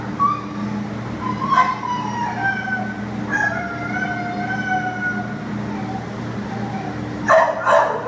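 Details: Adoptable American Pit Bull Terrier, recorded 15 September 2015: high, thin whines and yelping whimpers rise and fall over several seconds, ending in a loud, raspy bark, against a steady low droning hum.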